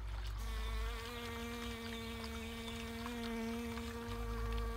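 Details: A western honey bee (Apis mellifera), so heavily loaded with peony pollen in its pollen baskets that it can hardly fly, gives a steady, low, rich wing buzz held at one even pitch.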